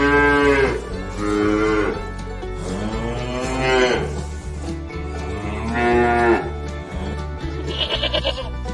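A cow gives several long, drawn-out moos over soft background music.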